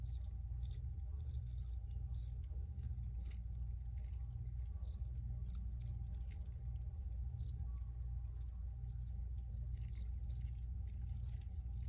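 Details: Crickets recorded for relaxation: short, bright, high-pitched chirps come in irregular clusters, sometimes in quick pairs, over a steady low rumbling hum and a faint constant tone.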